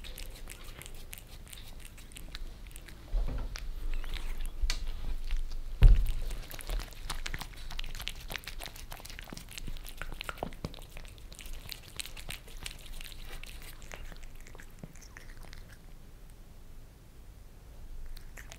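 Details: Maine Coon Lissy and British Shorthair Fritz lap creamy treats from a glass tabletop indoors in Germany; irregular moist tongue clicks, busier early with a louder thump, then thinning to sparse soft laps over a quiet room background.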